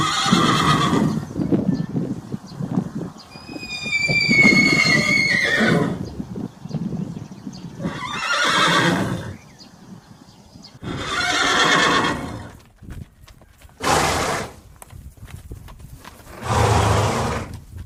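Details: Horse, shown with its foal while eating, neighing and galloping, gives several loud whinnies: quavering, harmonic-rich bursts with a high wavering streak. Each lasts one to two seconds and comes in repeated bouts separated by short quiet gaps.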